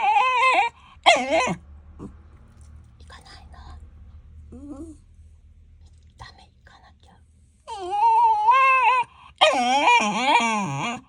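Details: Shiba Inu that dislikes going for walks, complaining: two short, wavering, strongly tonal yowls open the sequence, quiet muttering grumbles follow, then long, loud, warbling protest cries near the end over a low background hum.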